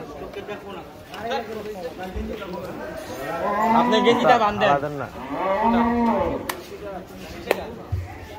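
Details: Brahman bull on the loose at a Qurbani cattle market bellowing repeatedly: several long, throaty moos that swell and fade over eight seconds, with men talking and calling out in the background as they try to restrain it.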